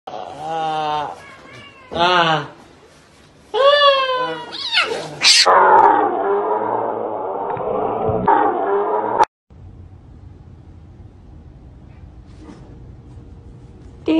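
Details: Kittens at home: three short wavering meows with rising and falling pitch, then a longer harsh drawn-out cry that ends abruptly, followed by quiet room noise and a brief spoken word.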